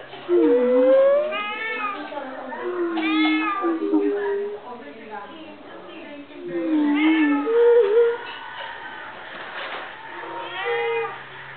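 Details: Persian cats meowing: several drawn-out, wavering meows that rise and fall, spaced a few seconds apart, with people talking in Filipino and background music.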